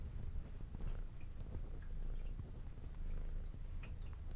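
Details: Female brown tabby cat with white underside, indoors, purring as she eats; low continuous rumble mixed with crunchy chewing and small biting clicks across the short stretch.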